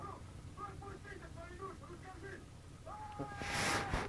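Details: Kittens 28 days old, the babies of Chinita and Kim, give a run of short, thin mews at a quick pace, then one longer, level meow that ends in a burst of rustling noise, with a low background hum.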